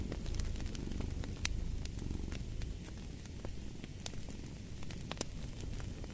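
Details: Low, continuous pulsing purr of a cat, strongest in the first seconds, under a crackling fireplace with scattered loud snaps of burning wood.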